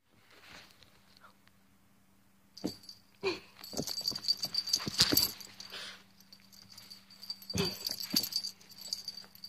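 A Boston Terrier puppy gives breathy snorts, wheezes and brief whimpers in irregular bursts over a faint steady hum.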